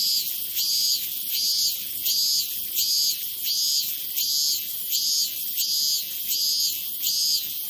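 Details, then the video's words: Cicada calling in pulsed bursts of high buzzing, about 83 pulses a minute at a steady rhythm, each burst a short rasping block of sound with little else heard. "som de cigarra"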